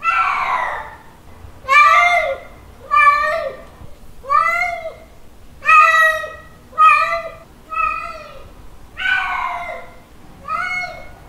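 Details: Calling male cat seeking a female, a run of about nine yowling meows at an uneven pace, some short and clipped, others stretched and quavering, each arching in pitch before dropping; quiet indoor background.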